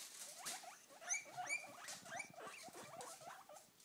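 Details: Three pet guinea pigs begging for food, calling whenever a salad bag is crinkled: a busy chorus of short, squeaky, rising whistles and chirps, overlapping rapidly throughout, with soft rustling beneath.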